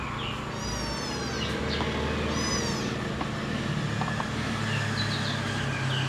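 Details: Young cats fighting: two high, drawn-out mewing cries rise and fall about two seconds apart. Fainter squeaks follow over a constant low droning background.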